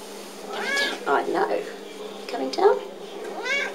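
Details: Sociable male domestic cat awaiting adoption, said to talk conversationally with a lovely clear voice, indoors; two clear arching meows, one near the start and one at the end, with a person talking softly between them.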